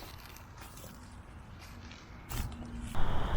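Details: Low rumbling handling noise and crunching scrapes, with no animal voice present. Two louder scraping bursts near the end sound like movement through gear or debris.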